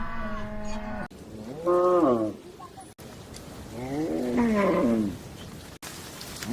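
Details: Cow calls in separate bursts: a flat, steady moo, then shorter bellows that swoop up and fall back, about three calls with quiet gaps and abrupt cuts between them.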